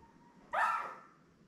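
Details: Labrador Retriever puppies, seven newborns with their mother Belle, born May 24, 2021, on a live puppy cam; one sharp, loud squealing yelp lasting about half a second, then quiet room hum.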